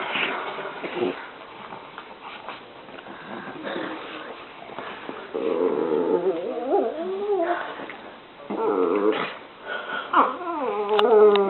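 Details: Two pet dogs playing together; muffled scuffling at first, then drawn-out wavering growl-whines with rich harmonics that bend up and down in several bursts during the second half.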